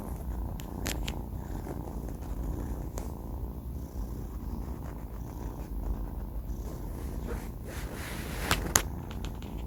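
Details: Banh Mi, a four-month-old male pet cat, snoring while asleep: a steady low rumbling throb runs throughout, with a few faint clicks and rustles near the start and a sharp tap near the end.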